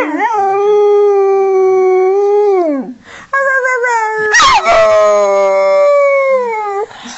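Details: A young female springer spaniel sings along in long, sustained howls, the first held steady then dropping away, followed by a rough break and a second rising, wavering howl.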